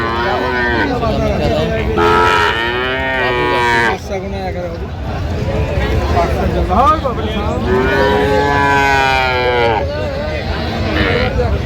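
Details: Cattle at a busy livestock market in Aftabganj, Dinajpur, Bangladesh, 17 January 2026, where cows and calves are sold: several rough, drawn-out moos rising and falling, overlapping with loud voices haggling and crowd noise.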